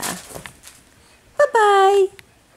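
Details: Seven-week-old Cavapoo puppies at a licensed commercial kennel in Carthage, Missouri; one drawn-out whine of about half a second, starting higher and sliding down in pitch, after soft indoor talk from a person.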